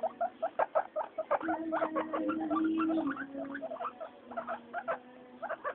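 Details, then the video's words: Several happy pet guinea pigs noisy during floor time; quick squeaky chirp bursts with a longer steady low whine in the middle, then more scattered squeaks. "GUINEA PIGS... Wheekly Floor time."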